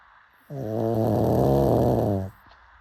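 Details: Sleeping pug giving a single drawn-out snore, a deep, fluttering, nasal rumble of nearly two seconds with an abrupt start and end, followed by a faint click.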